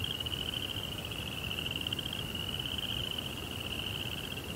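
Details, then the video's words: A cricket trilling at night in a Zen garden setting: an unbroken, high, finely pulsed tone with slight waver and a muffled low background hum. "Cricket Sounds"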